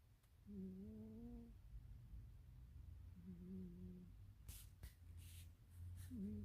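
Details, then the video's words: Sleeping domestic cat snoring: two drawn-out, humming, tonal snores about a second long, then a third starting at the end, over a low rumble, with a few sharp clicks or rustles between them. "my cat was snoring"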